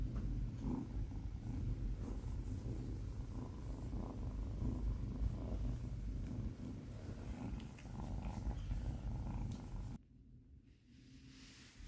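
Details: Low, continuous rumbling purr from Binwoo, a young Tonkinese kitten just brought home from the breeder, steady and rhythmic for about ten seconds before it drops away to near silence.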